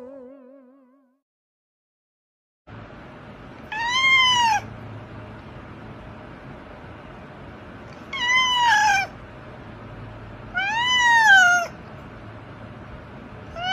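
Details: Domestic cat in a funny pet compilation giving three separate drawn-out meows, each rising then falling in pitch, spaced about four seconds apart, over a steady low hum. A brief wavering tone is heard at the start before a short silence.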